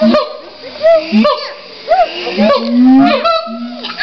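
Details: Siamangs in a zoo in Los Angeles call loudly: deep, steady booming tones mixed with sharp, rising whoops and barks that bend upward and fall. The calls overlap and are full of echo.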